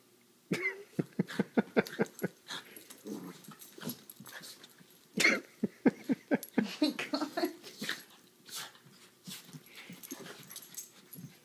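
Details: Puppy during rough indoor playtime: rapid snorting huffs and short sharp yips in a loose rapid series, with a brief growl near the start. Several louder bursts, then the sounds thin toward the end.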